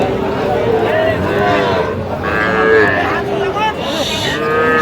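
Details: Young bulls and heifers being bargained over at a Feni cattle market, Bangladesh, 15 November 2025: overlapping lowing calls from several animals, some short and some longer, amid constant talk from a crowd of people.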